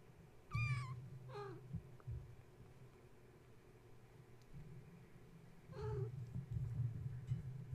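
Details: Gaia's kittens, awake and wound up at bedtime after the space heater was plugged in, climbing and playing around their kennel while their mother tries to nurse; three high, thin mews, two close together near the start and one later, over a steady low hum.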